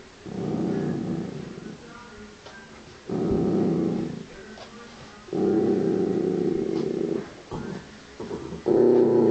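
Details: A female Miniature Dachshund, angry while guarding a pig's ear chew, growls in long, low rumbling bursts separated by brief pauses.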